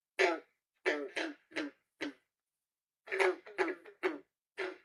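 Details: Male green frogs, also called banjo frogs (Rana clamitans), give short, twangy gunk advertising calls, like a loose, untuned banjo string being plucked.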